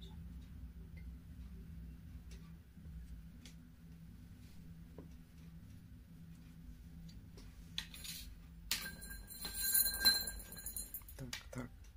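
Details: Quiet indoor room with a steady low hum, scattered soft clinks and ticks, and a short burst of broadband rustling near the end.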